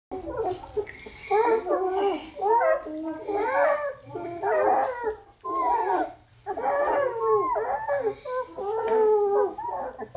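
A German Shepherd gives wavering, yodeling howls in bursts of about a second, separated by short pauses.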